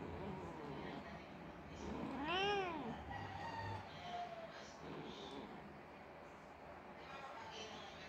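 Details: Persian mother cat crying after her kitten died: one loud, drawn-out, arching meow with rich harmonics near the middle. A person talks gently to her throughout, over steady background noise.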